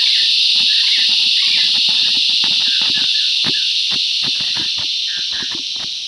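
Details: Cicadas filling the bush with loud song: a dense, steady high hiss with a shimmering band on top, gently fading toward the end, broken by sharp clicks and brief chirping bird notes.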